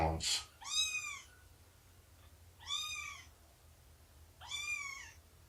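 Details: Domestic cat indoors during morning nursing and play time with Shelby, an abandoned mother of about two years with roughly three-month-old kittens; three high, arched, harmonic-rich meows, each about half a second, spaced about two seconds apart over a faint low hum.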